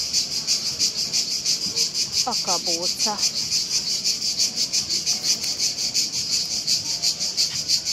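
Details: Cicadas in Split, several close by making a loud racket: harsh, high buzzing pulsing steadily about three times a second, with a brief human voice.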